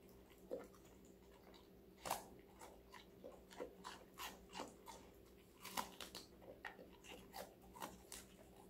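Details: Connie, a female Golden Retriever five months old, chomps on assorted vegetables in a small room, crunchy crisp bites repeating irregularly, roughly every second or two, over a low constant hum.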